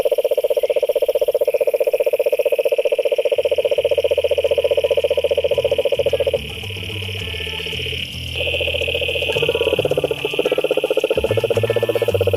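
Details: Frogs in a pond keep up rapid pulsed trills, pausing briefly midway before resuming, while a deep low droning hum and a high steady buzz sound underneath.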